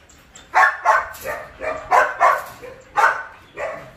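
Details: A large 47 kg Belgian Malinois barking during training at a Saigon kennel: about eight sharp, mid-pitched barks in four seconds, irregularly spaced, some in quick pairs, over a quiet background.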